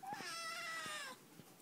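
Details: Black Siamese kitten, eight weeks old, meowing indoors as it is told to say bye: a single loud meow of about one second, starting high then sliding slowly downward, followed by soft clicks and handling noises.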